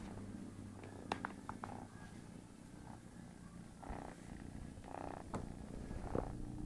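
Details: Sleeping house cat, bothered by a playful kitten, keeps up a continuous deep droning purr; brief clicks and rustling movement noises break in now and then.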